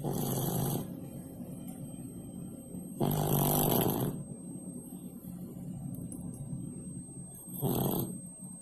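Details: Snoring pet cat Pak Pak, asleep below the stove, makes three rough, low snorts spaced unevenly, with a longer quiet gap between the second and third, and a light background hum.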